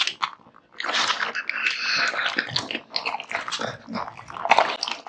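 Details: Raw meat and bones being devoured by Kotetsu, a male American Bully; after a quiet start, a continuous stretch of loud, wet mashing and crunching with tonal squeaks of bone and tooth.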